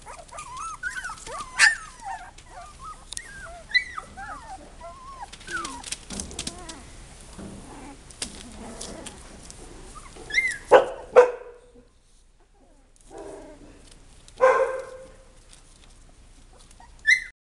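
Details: A litter of Texas Heeler puppies whines in a busy overlapping chorus of squeaky rising notes, then quieter gaps broken by a few louder yelps and whimpers toward the end.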